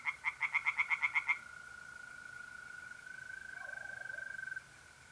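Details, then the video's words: Tree frogs calling by a pond on an April night in north-east Italy: a quick run of about nine loud, rasping pulses in just over a second. A steady, high, unbroken mole cricket trill carries on alone after the frogs stop. "singing tree frogs"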